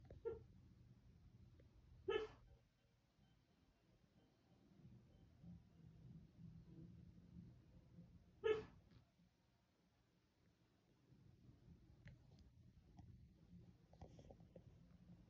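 A sleeping Siberian Husky gives a few soft, muffled woofs, spaced several seconds apart.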